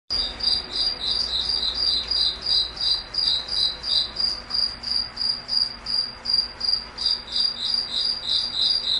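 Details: Crickets singing at night in a foggy forest: high, pulsing chirps repeated steadily, about three per second, with a fainter second chirping layer slightly lower in pitch and no other clear sounds.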